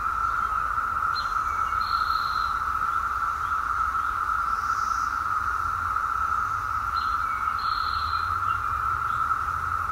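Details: A dense Brood X periodical (17-year) cicada chorus in 2021 in the Fort Totten woods, Washington DC, forms a steady, unbroken mid-pitched drone, with brief high bird phrases breaking through twice.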